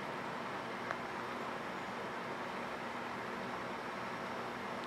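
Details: Only a steady, even hiss of broadband noise is heard, with one tiny click and no animal voice.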